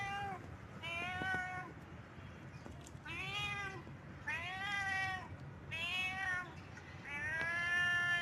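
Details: Domestic cat in heat, calling with a series of drawn-out, harmonic meows that arch up then fall, about six calls in eight seconds, separated by short gaps over a low background hum.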